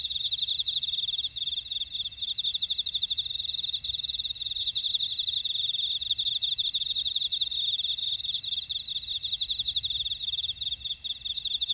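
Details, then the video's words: A chorus of field insects in a buckwheat field in Orai-dong, Jeju City, South Korea, with steady high trilling, fast repeated pulses and constant ringing overtones filling every second, and no wind or voices. "제주 메밀밭의 풀벌레 소리"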